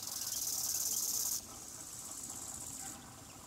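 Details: Bow-winged grasshopper (Chorthippus biguttulus) chirping: a dense, high, buzzing stridulation made of rapid pulses. It is loud for about a second and a half, then drops to a softer buzz and stops near three seconds.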